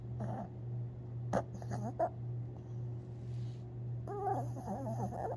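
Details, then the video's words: Tinkerbell, a Long Haired Chihuahua, dreaming in her sleep on April 17, 2021: short whimpering squeaks near the start and a longer burst of whines after four seconds, over a steady low hum. "Long Haired Chihuahua (Tinkerbell) Dreaming And Snoring While Sleeping!"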